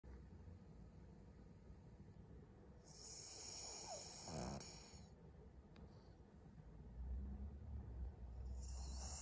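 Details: Maria, a 12-year-old fawn female senior pug in Japan, recorded on 18 February 2023, snores with rasping, breathy bursts, one long roughly two-second rush and a shorter one at the end, over a low steady room rumble.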